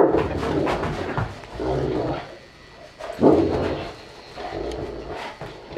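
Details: Saint Bernards Joseph, four years old, and his one-year-old offspring Stitch, voicing a few rough, throaty growling bursts with a louder bark-like outburst near the middle, then quieter grumbling; faint human voice in the background.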